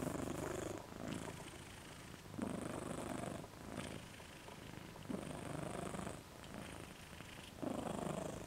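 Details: Moca the dog snores with his tongue out, a steady cycle of raspy breaths roughly every one and a half seconds, six rounds of a buzzy in-and-out rhythm, indoors.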